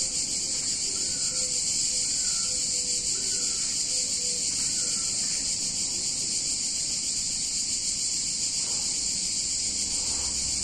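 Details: Hot summer day in an Italian town, cicadas droning in a loud continuous high-pitched hum, with a few soft, short whistled notes repeated faintly in the background during the first half.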